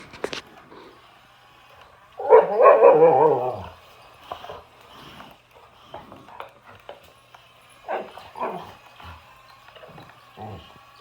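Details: Boxer dog facing an excavator gives a short, loud, harmonic whining bark burst around two seconds in, followed by scattered quieter yelps and clicks against a faint mechanical background hum.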